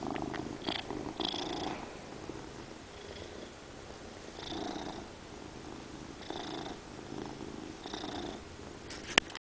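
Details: Loud purring from a domestic cat indoors, an even low vibrating rumble with periodic soft breathy swells, ending in a sharp click.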